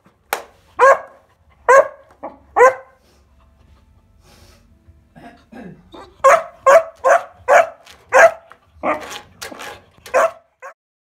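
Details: A 14-week-old Kuvasz puppy barking while playing with a weighing scale at home; three sharp barks, a short pause with softer grumbles, then a quick run of about ten yappy barks roughly twice a second.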